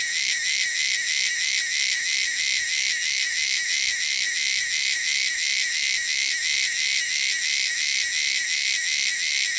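Cicadas give a loud, shrill, steady buzz that pulses rhythmically, nearly three beats every second.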